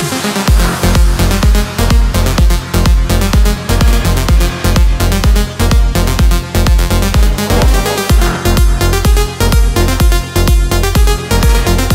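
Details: Electronic dance music with a steady pounding bass beat, about one beat per second, and bright synthesizer layers throughout.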